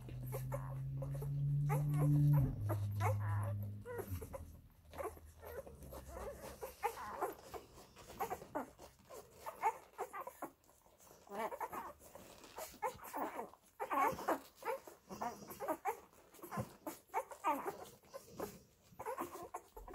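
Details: Labrador Retriever puppies of the F litter feeding from their mother Molly. A low voice talks during the opening seconds, then dense overlapping squeaks and soft whimpers continue almost nonstop.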